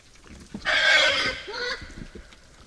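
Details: Nocturnal wild boar at a forest feeder giving one loud, high, strained squeal of just over a second that drops in pitch as it fades, with faint rustling beneath.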